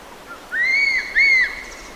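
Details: Smooth-coated otter fishing at the Karnali River in Bardia National Park, Nepal; two loud, clear whistled notes, each arching up then falling, the second following about half a second after the first, over a quiet outdoor background.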